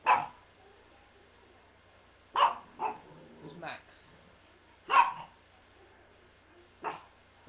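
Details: Tia, a three-year-old female Yorkshire Terrier, barking indoors in a living room: sharp, short single barks at irregular intervals, about five over seven seconds, with a person talking nearby.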